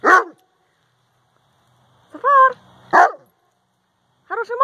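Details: Central Asian Shepherd Dog talking to its owner: short rough woofs alternating with higher, arched whining yowls, four separate bursts spaced a second or more apart with silence between.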